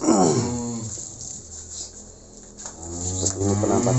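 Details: Cattle being loaded into a truck for delivery to Magelang, Indonesia; Simmental and Limousin breeds are named. A low, harmonic moo opens the clip and falls away, a quieter lowing returns near the end, with vehicle and background rumble.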